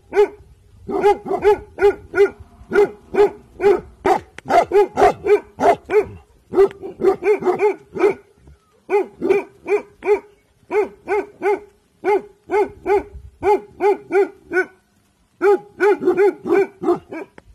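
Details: An alert Bhotia dog guarding at evening time gives long, sustained barking in rapid bursts of steady barks, broken by brief pauses; no other sounds stand out.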